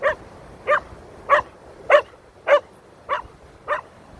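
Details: Keeshond named Koda, afraid of feathers, barking during a feather encounter: seven sharp, evenly spaced barks, roughly one every 0.6 seconds, with nothing else audible.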